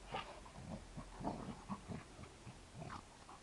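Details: A 2-year-old male Kuvasz gives quick, gruff grunts and muffled barks in bursts during daily play fighting with a 7-year-old Labrador.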